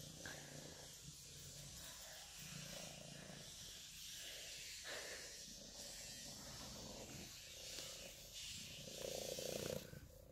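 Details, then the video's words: Pet kitten, a dark tortie female, purring as loudly as a snoring person, a throbbing low rumble that rises and fades in regular breaths of roughly two to three seconds. "She Purrs as Loud as He Snores"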